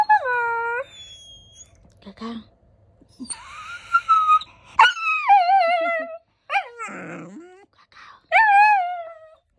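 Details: Golden retriever puppy vocalising because it wants to go outside: loud drawn-out whines and yowls that start high and slide down, repeated with short pauses, while a person talks back and music plays faintly.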